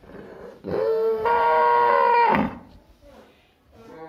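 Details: Cow. A cow calls with one sustained, rich-toned moo lasting nearly two seconds. It starts lower, steps abruptly higher, holds steady, then breaks off, followed by faint background sounds.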